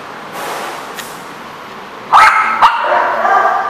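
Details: Dog barking, recorded on May 16, 2014: two sharp, loud barks about half a second apart near the two-second mark, preceded by fainter distant barks and followed by a steady background murmur.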